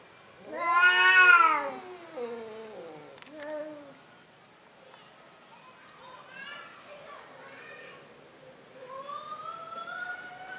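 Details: Timid orange domestic cat giving a long, loud harmonic meow near the start, followed by softer, shorter mews and a faint rising meow near the end; a steady high whine runs throughout.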